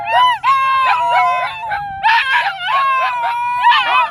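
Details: Dogs howl together at Dunedin's dog park in a person-led dog choir: a long steady wavering tone runs under shorter rising and falling yelping howls that overlap in bursts.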